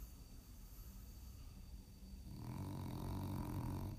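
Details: A French bulldog snores during a nap, with low, rumbling breaths that grow louder and rougher halfway through.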